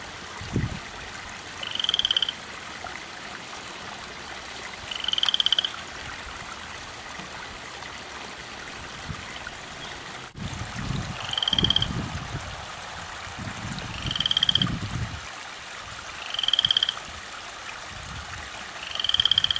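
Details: A single loud frog in a garden yard far from any bog or lake, calling nonstop through the night: about six short, rapidly pulsed high trills spaced a few seconds apart, with occasional low thumps and background hiss.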